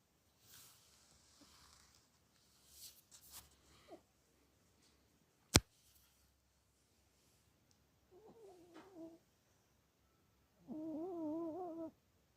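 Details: Sleeping Chihuahua dreaming and snoring indoors: faint snuffling breaths at first, a single sharp click midway, then two wavering, whining whimpers with clear overtones, the second one longer and steadier, lasting over a second.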